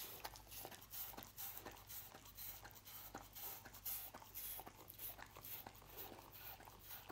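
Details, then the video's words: Dog named Lucy eating roast beef indoors in a small room: rapid crisp chewing clicks and wet smacking bursts, irregular but nearly continuous, with a steady low hum underneath. "Dog Eating Roast Beef"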